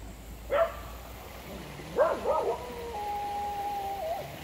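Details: Dogs at a creek: a single bark, then a cluster of barks around two seconds, followed by a long steady tonal drone, possibly a vehicle, over background hiss.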